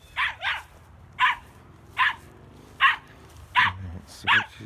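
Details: Ten-year-old female chihuahua/border collie mix hunting woodchucks outdoors near a tree with burrow holes; sharp repeated barks, about seven in under five seconds at uneven spacing, with a man speaking faintly at the end.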